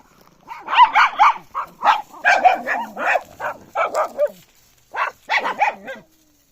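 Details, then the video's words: Puppy barking: a quick run of about a dozen short, high, yapping barks over four seconds, a brief pause, then four or five more sharp yaps, with no other sounds around. "CUTE PUPPY DOG BARK SOUND"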